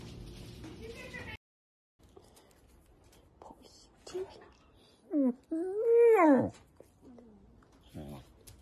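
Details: Dachshund, a pet sausage dog, giving two drawn-out tonal whines, the second long and arching up then down, after soft background chatter and a brief silent gap.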